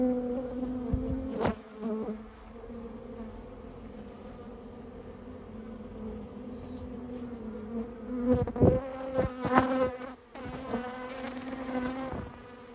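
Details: Japanese honey bee colony that had nested inside a storehouse, heard during its removal: a steady low hum with clear overtones, broken by several sharp knocks and thumps around the nest and a brief exclamation.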